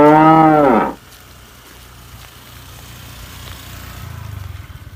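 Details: A single short moo from a tame cow ends abruptly after about a second, followed by low rumbling background noise.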